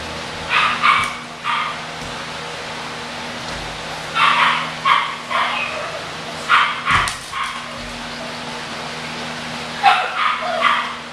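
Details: Short, bright yaps from young English Bulldog puppies come in bursts at the start, middle and end, separated by quiet pauses. A faint steady hum lies underneath.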